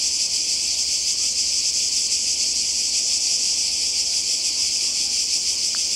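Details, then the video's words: Summer cicada chorus on the Croatian coast, 2020, an unbroken shrill buzz holding steady at high pitch, slightly pulsing, with a faint low rumble and a brief sharp click near the end. "Kroatien Zikaden und Meer"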